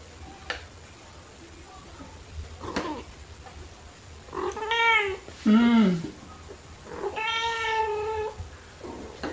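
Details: Black cat Pepper and tabby Kofi playing indoors with fluffy toys, March 2021, phone with shotgun microphone; three meows in quick succession, the middle one low and strained, the last long and bending down, with soft clicks and a steady hum.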